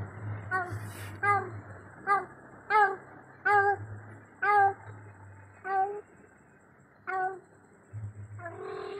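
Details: Cat alone at night calling its companion: a series of about ten short, nasal, harmonic meows repeated roughly every 0.7 seconds, steady in pitch, over a low continuous hum indoors.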